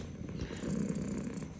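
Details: A pet cat purring indoors: a low, soft, steady rumble with gentle throbbing pulses through the short stretch, over faint room hiss and no voices.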